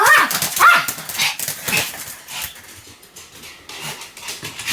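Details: Pomeranian named Sam barking continuously: a few sharp, high yapping barks in the first two seconds, then quieter and sparser barking fading toward the end.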